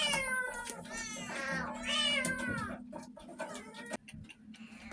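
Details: Abandoned shelter cats, more than thirty of them, with food supplies running low, meowing in a small room: several loud, drawn-out harmonic meows in quick succession, some rising then falling, overlapping one another, with a steady low hum beneath.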